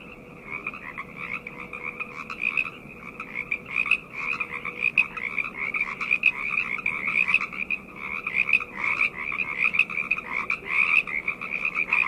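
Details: Many frogs croaking at night in an unbroken chorus, rapid pulsed trills rising slightly in loudness toward the end, with a faint humming tone.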